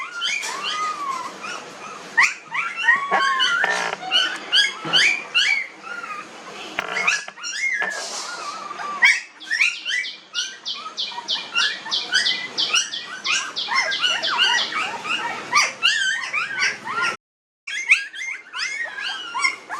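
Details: Nineteen-day-old village puppies keep up a dense chorus of squeaky whimpers and whines for many seconds, interrupted by one brief silence near the end.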